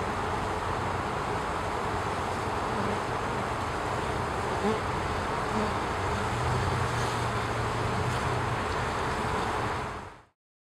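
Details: A honey bee forager waggle dances to share where food such as nectar or pollen is found. Thick, unbroken buzzing fills the recording, with a low rumbling hum and occasional soft thuds, then a quick fade to silence.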